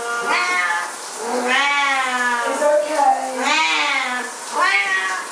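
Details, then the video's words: Siamese cats, two of them, wailing insistently as their owner takes a shower; four long, arching meows with rising then falling pitch, some overlapping, loud and continuous. "Our Siamese Cats at Shower Time"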